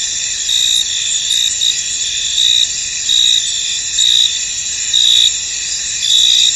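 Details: Many crickets sing in a fog-covered field, producing an unbroken high, ringing trill with stronger chirp bursts recurring about every second at irregular intervals.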